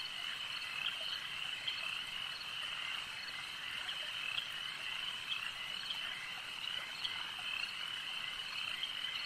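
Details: Numerous frogs croaking at a lake, a steady shimmering trill punctuated by short sharp pulses every second or so, calm ambience otherwise.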